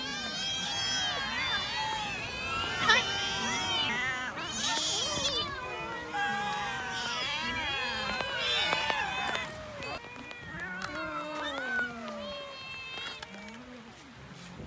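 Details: Cats being fed and eating raw fish, giving many overlapping harmonic meows that rise and fall in pitch, some high and drawn-out, others short. The calls come in quick succession throughout, with eating noises beneath.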